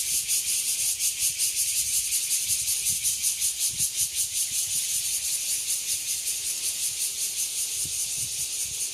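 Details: An evening cicada chorus in Nangang Park, Taipei, Taiwan: a dense, high, hissing buzz that swells and fades in steady pulses.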